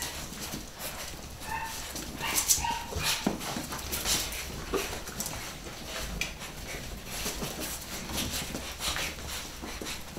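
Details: Pedigree Beagle pups, a nine-week-old litter at a UK breeder; short thin squeaking yips come in a cluster early on, then occasional single whimpers, against busy clicking and scrabbling noise throughout.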